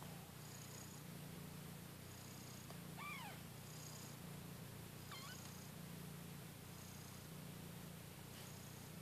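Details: Newborn kittens fighting for their mother's milk while nursing; a steady low purring drone runs throughout, with two short high rising-falling mews near the middle.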